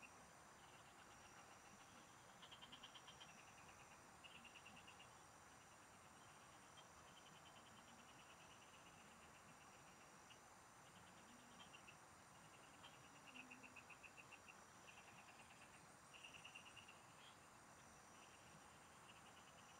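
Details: Field frogs in song, recorded during a fishing trip: scattered bursts of fast, high-pitched pulses come every few seconds, some overlapping, above a continuous thin ringing tone and a low rumble.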